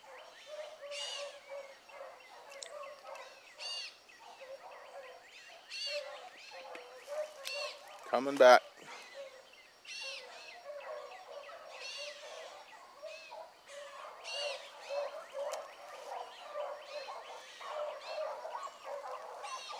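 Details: Hound pups trailing a rabbit in the morning, with Ringo, Mingo and Choco at the front: steady chorus of distant overlapping bays from the whole pack, one sharp loud knock partway through.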